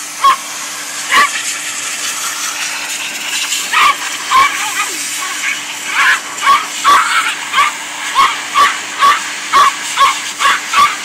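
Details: Agitated male Yorkshire Terrier barking at a vacuum or a computer being cleaned of dust. A long run of shrill, clipped yaps starts sparse and becomes a rapid, steady string, all over continuous blowing hiss.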